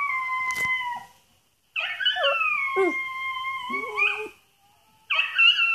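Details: A Xoloitzcuintli howls at a video of another hairless dog in sustained, high, tonal howls that bend and waver, with lower yodelling breaks and brief silences between bursts, and a short sharp knock early on.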